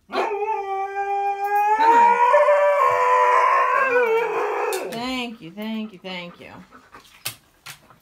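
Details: Siberian Husky protesting dramatically about going for a walk, giving a long rising and falling howl that swells louder mid-call, then breaks into shorter wavering yowls and grumbles as it fades.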